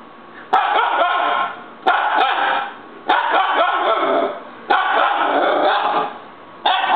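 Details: Young Siberian Husky puppy throwing a fit, letting out long, harsh, drawn-out howling yells about a second each, five of them with short pauses between, loud and insistent.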